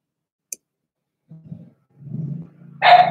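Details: Cavalier King Charles Spaniel puppies playing together in a home puppy pen while being raised indoors; a single click, then low rumbling growls that swell and stutter, ending in a sharp, loud bark-like yelp.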